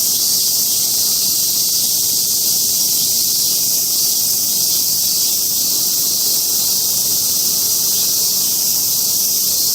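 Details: Mount Atago in Japan, where a chorus of cicadas keeps up a continuous hissing drone. The intensity stays level throughout, with no breaks or rhythm and no other animals or voices.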